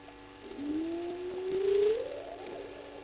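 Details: At 20:37 on 06/05/21, at the Gowrie dam waterhole on Djuma Game Reserve, Sabi Sand, South Africa, a side-striped jackal gives a single drawn-out, mournful call that slides slowly upward in pitch.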